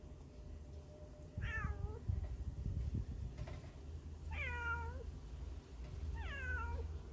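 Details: Hungry stray kittens crying from inside a hole, recorded on a Samsung Galaxy Note 9 phone; three loud, falling, tonal meows spaced a few seconds apart over a steady low rumble.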